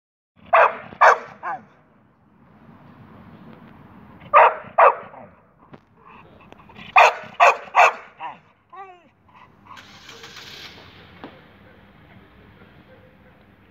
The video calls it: Bull terrier Danny barking